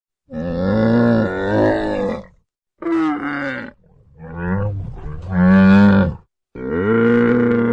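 A camel gives four long, deep, wavering groans, each one or two seconds, with a rough, gurgling tone. Short silent gaps separate them.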